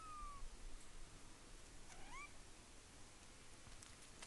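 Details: Black kitten named BlackCat, playing and climbing, trapped on a tree; a single short rising meow with a clear upward bend midway, preceded by a faint thin whistled note, over soft rustling and outdoor background noise.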